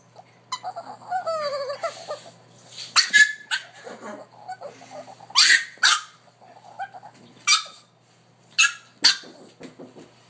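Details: Pet dog making a funny sound: high, rising whimpering squeals at first, then short sharp barks or yips every second or two, with a person talking nearby indoors.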